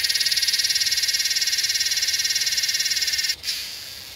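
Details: Northern NSW, Australia, 8/12/20: a Yellowbelly cicada (Psaltoda harrisii) gives a steady, loud, high buzz of rapid even pulses for over three seconds, then cuts off sharply into a soft hiss.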